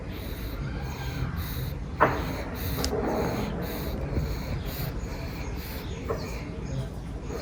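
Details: Sleeping pug napping after playtime, giving a sharp nasal snort near the two-second mark and a softer one shortly after, over steady low rumbling breath noise.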